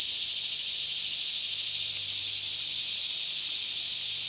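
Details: Many cicadas singing together by day in a Kentucky forest near Franklin at about 10am, calm air; the high, continuous sizzling drone stays level throughout, with a soft low hum in the background.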